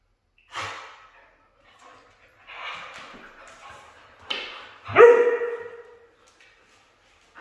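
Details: A red female Siberian husky gives a string of drawn-out, talkative yowls, the last one loud and sliding downward, while being praised and talked to.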